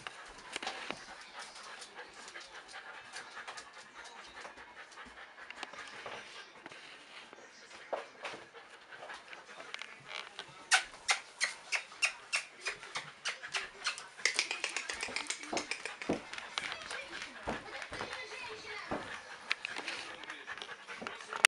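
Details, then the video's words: Two female Golden Retriever puppies playing together; quick, breathy panting with scuffling, snuffling and soft yelps, growing busier and more rhythmic in the second half. "щенки золотистого ретривера"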